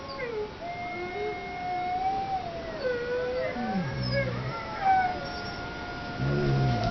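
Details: Zeus the dog howling: a long, steady, drawn-out tone that dips and slides, with shorter, lower wavering notes breaking in partway through.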